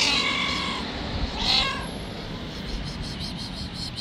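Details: Wild white street cat, described as angry and untameable, lets out two strained, harmonic meows in quick succession, the second shorter and sharper, against constant outdoor hiss.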